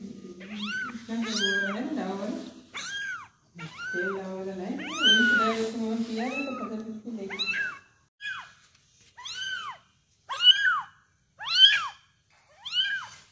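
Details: One-month-old kitten being fed indoors, meowing insistently in short arched cries, roughly one a second, with a person talking over the first half and the later calls standing alone in quiet gaps.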